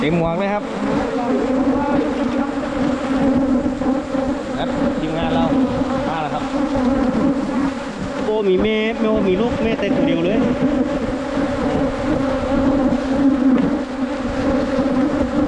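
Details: Wild Asian honey bees found while honey hunting in 2022: a dense, steady droning buzz with a low hum and layered overtones throughout. A person's voice briefly cuts in around the middle.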